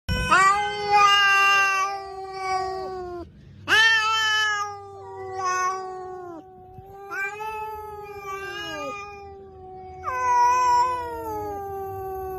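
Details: Cat giving long, drawn-out wailing meows, four or five extended tonal cries, some rising then falling, with short gaps between them.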